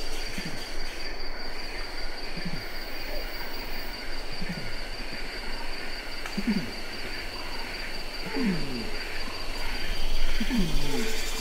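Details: Adult male orangutan calling in Ketambe Forest, Gunung Leuser National Park: low, falling groaning pulses repeat roughly every two seconds, growing louder toward the end, over a steady buzz of insects in the forest.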